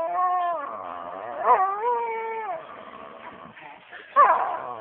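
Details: Pet dog named Rio playing with its owner and making funny noises, described as a popping sound; long wavering whiny tones that rise and dip, broken by two short sharp bursts near the middle and end.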